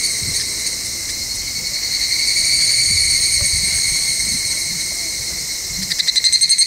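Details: Cicadas singing at dusk on a summer evening in the countryside of Ikusaka village, Nagano, Japan: a shrill, ringing, rapidly pulsed trill in stacked high tones, steady then rattling more sharply at the end, over faint low rustling.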